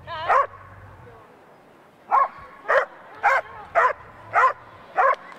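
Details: Rhodesian Ridgeback, a female, barking at an AKC event, August 2011: one sharp bark, a quiet gap of nearly two seconds, then six evenly spaced loud barks roughly every half second.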